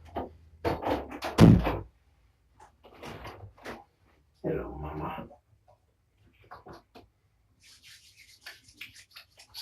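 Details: A person talks indoors between soft rubbing and bumping noises, with no animal voice.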